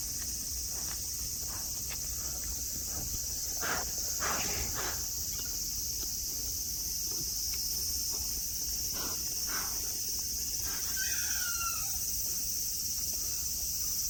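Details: Sunny Nara Park, Japan, with friendly deer: cicadas hold a continuous shrill hiss while footstep-like thumps and rustles come and go, and a bird gives a quick descending whistle late in the recording.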